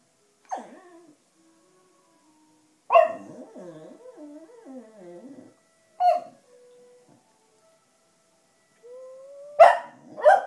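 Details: Black Cocker Spaniel Sashka, seeming tired and groaly, howling to wind instruments such as the clarinet; scattered sharp yelps, a warbling wavering howl, a held note, then a rising tone ending in two loud barks.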